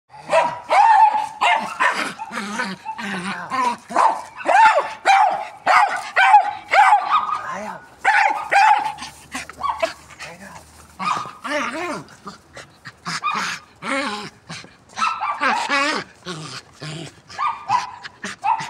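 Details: Jagdterrier named Alfa, furious at a tyre and urged on to grab it, gives harsh, tonal growling barks in rapid irregular bursts, nearly two per second, while people laugh, cheer and talk, with music in the background.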